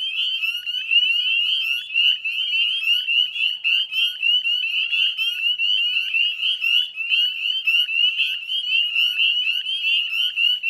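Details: Spring chorus of northern spring peepers at the Chezzetcook salt marsh, Nova Scotia, Canada, dusk on 18 May 2020: shrill rising peeps pulse thickly over one another without pause.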